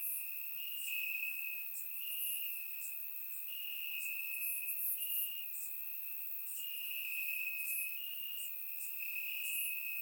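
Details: Night-time crickets in Bulgarian grass on a warm summer evening, surround microphone: a constant piercing trill with pulses swelling every second or two, and distant higher insect chirps throughout.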